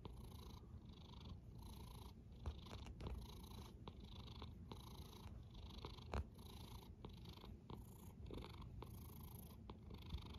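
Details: Rhythmic feline snoring: a low grinding rumble beneath soft whooshing breaths repeated about once a second, with a few light clicks and knocks in the background.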